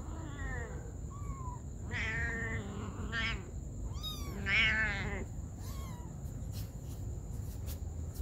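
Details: Domestic cats, a mother caring for her baby kittens: several clear wavering meows in quick succession, some high and thin like kittens, others fuller and harmonic-rich, over steady low rumbling background noise.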